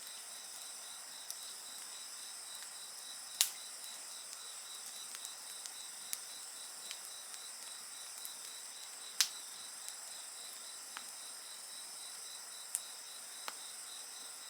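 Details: Insect song by a campfire: an unbroken shrill chorus of fast, beaded high pulses over a faint hiss, with only scattered sharp pops from the burning wood.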